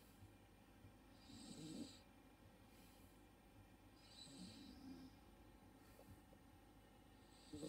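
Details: A 3-month-old male Miniature Schnauzer puppy snores softly while sleeping on his back, with slow raspy breaths every few seconds.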